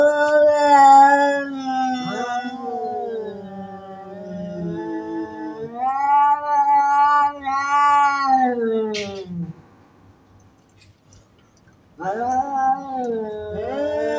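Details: Cats fighting with loud threatening calls: drawn-out yowls rising and falling in pitch, louder bursts around six to nine seconds, a two-second lull, then wailing starts again.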